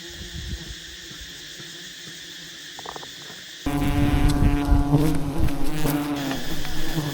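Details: A massive wild honey bee nest being harvested by honey hunters: after a few seconds of faint hum, a loud, dense buzzing drone suddenly swells and stays strong, with rough rattling bursts over a low harmonic tone.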